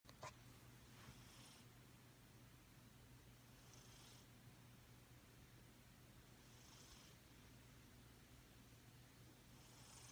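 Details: Sleeping female domestic cat snoring and purring, tired out; a steady low rumbling purr throughout, with soft breathy hisses at intervals of about three seconds.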